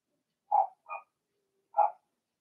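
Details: Cavalier King Charles Spaniel puppy, Blenheim colour, in its litter's indoor pen. Two rapid yelps in succession, then a pause before a third louder cry, with a quiet background.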